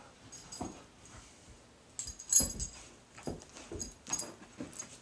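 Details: Pet dog Mickey at play with his favourite toy Blacky inside a small room, giving brief nasal whines and huffs spaced about a second apart, some soft, some sharper.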